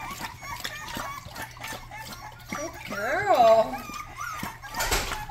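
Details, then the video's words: Rottweiler puppy giving some of its first barks indoors: one loud, high, arched yelp rising and falling near the middle, with a softer cry before it, over a person talking and a steady low hum. "first barks"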